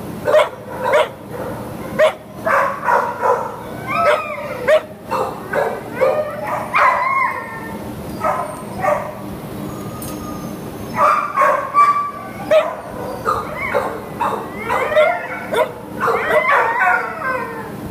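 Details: Shelter terrier up for adoption, recorded 19 July 2015 around noon; dense barking and yipping from several dogs, bursts of rapid barks with higher whining yelps between them, in an echoing kennel.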